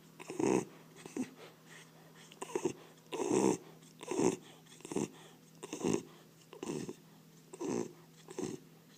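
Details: Bull terrier dog asleep, snoring loudly like a little pig: rough, throaty snores repeating about every second, each swelling then fading, about nine snores with quiet breathing between.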